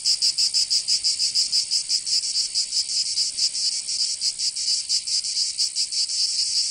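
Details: Cicadas singing in summer in Provence, southern France: a dense, loud, high buzzing chorus pulsing rapidly about four times per second, steady throughout with no other sounds.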